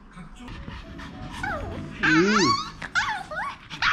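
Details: Maltese dogs from a family of three, male Jamong, female Fanta and their daughter Blue, giving rising and falling whimpering yelps and a short bark over background music and speech.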